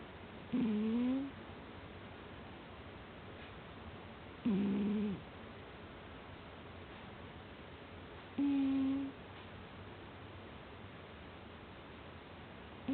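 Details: Soundly sleeping cat snoring: short, nasal, slightly whistling tones, one roughly every four seconds, each lasting under a second, over a steady low hiss in a quiet room.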